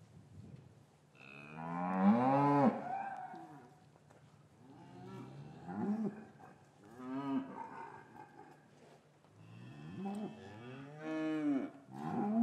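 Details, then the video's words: Cows lowing in an English cattle yard on a winter's afternoon after the calves were separated from their mothers, recorded with a matched pair of Rode M5s: three deep, drawn-out moos, each swelling then falling, with quiet gaps between. "4K Cattle Yard - One Hour Ambient Sound and Video"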